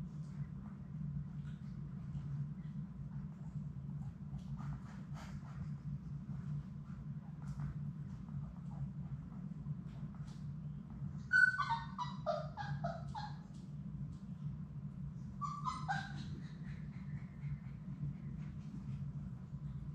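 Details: Six Labrador Retriever puppies playing together in an indoor puppy play room. Two bursts of high, squeaky whining yelps rise and waver, the first longer and stepped, the second short, over a steady low room hum and soft scattered thuds.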